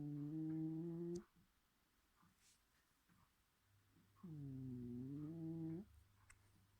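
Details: Bedford the cat, asleep indoors, snores with deep buzzy drones: one breath at the start and another about four seconds later that dips then rises in pitch, with a faint low hum in the room between them.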